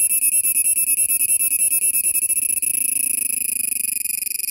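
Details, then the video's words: A cicada in Kerala gives a shrill, high-pitched droning call made of rapid, steady pulses. "kerala /cicada /sound effect /ചീവീട് സൗണ്ട്"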